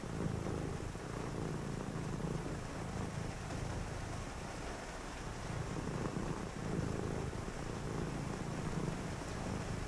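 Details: House cat purring during a cozy rainy night, its deep continuous rumble rising and falling with each breath, set against a steady background wash of rain.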